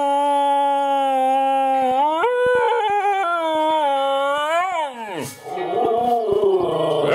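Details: Two Siberian Huskies sing together, one starting and the second joining in, in long, sustained howls that bend up and down like singing.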